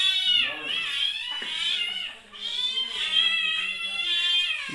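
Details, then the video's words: Hungry kittens indoors during lockdown, several overlapping high, drawn-out harmonic meows, loud and insistent, rising and falling in pitch with brief gaps, a low voice faintly beneath. "During Lockdown Kittens Are Hungry"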